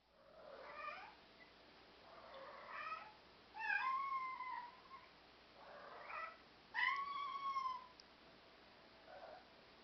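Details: Black European Shorthair cats, described as communicative and self-assured, meow indoors in a small room: five drawn-out meows spaced about two seconds apart, the last rising then falling, with a faint background hiss.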